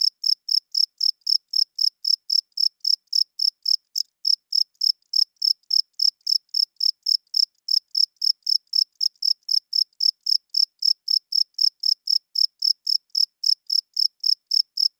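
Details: Loud cricket chirping at night, a steady train of bright high-pitched pulses, nearly four per second, keeping an even rhythm across the stretch, with nothing else audible.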